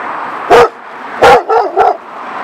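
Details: One of two German Shepherds in a yard beside a street gives four loud, sharp barks, the first two full and the last two shorter.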